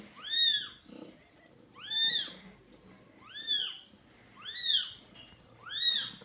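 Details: Kitten born the day before, giving five high, thin meows about every 1.2 seconds. Each one rises and then falls in a clear arch, with quiet gaps between them.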